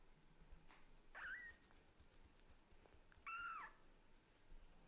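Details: Kitten of Lulu the Scottish Fold and Leo the British Shorthair, talking hard to its mother cat indoors: two short, high mews about two seconds apart, the second a longer level tone, over a quiet room hum.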